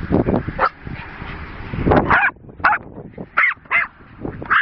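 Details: Playing Jack Russell Terriers, sisters Rosie and Poppy, with horse boredom-breaker toys: a run of five loud, short barks in the second half, after thumping and scuffling sounds of play.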